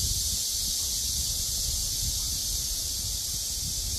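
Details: Cicada chorus under a cool breeze, a continuous shrill buzzing band held without pause, with soft low wind rumble beneath.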